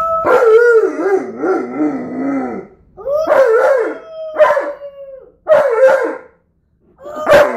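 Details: Alaskan Malamute named Tonka howling together with a four-year-old boy at home; a wobbling, warbling howl drops in pitch, followed by several shorter rising-then-flat howls and clipped yowls in quick succession.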